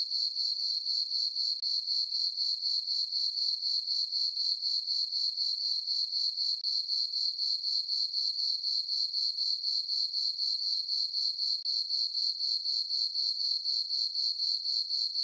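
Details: Summer-night crickets in a moonlit farm meadow: a continuous shrill chirping that beats in even pulses roughly four per second, steady and unbroken throughout, with no other sounds.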